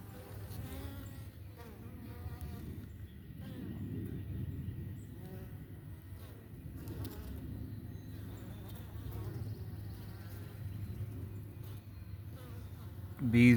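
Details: Italian honey bee workers at a homestead hive around 9:00 on an overcast morning, drinking 50/50 sugar water; a steady low hum with overlapping buzzing harmonics, plus faint background sounds and a brief louder noise at the end.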